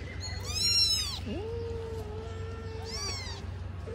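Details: Kitten after snatching grilled fish: a bright, arched meow, then a long, level, drawn-out tone holding steady for nearly two seconds, ending in another high meow, with a constant low hum beneath.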